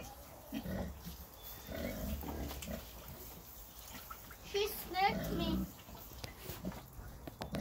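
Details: Red Wattle pigs about six months old grunting: low, rough, irregular grunts in short bursts, with a brief higher squeal midway, over steady background hiss and some human voices.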